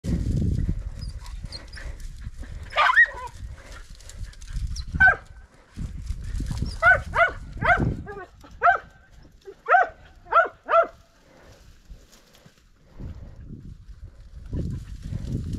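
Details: Podenco hunting dogs during a few hunting runs, giving a series of sharp, harmonic barks in short bursts about a second apart, with a man's voice and low wind rumble around them.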